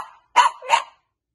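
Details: Two short barks from a French Bulldog puppy, a pair of quick harsh yaps about a third of a second apart, then silence.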